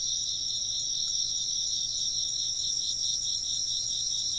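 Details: Chirping insects heard as a steady ambient bed meant for working or sleeping. Shrill, overlapping trills hold a constant high shimmer with slight rhythmic waves across the whole stretch.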